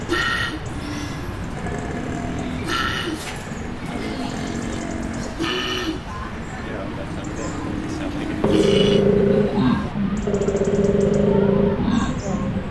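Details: Several koalas grunt in deep, rough, rapidly pulsing bursts while another koala tries to sleep, with human voices in the background.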